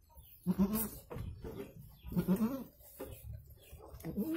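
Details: Low, throaty goat calls, short and rough, come in two clusters about two seconds apart as the goat gives birth to two kids, with soft shuffling noises between them.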